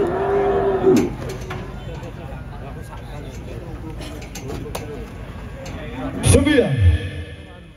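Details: Large cattle at a show or contest in Indonesia, one giving a short tonal moo at the start and a rising-falling bellow near the end, amid people talking and crowd noise.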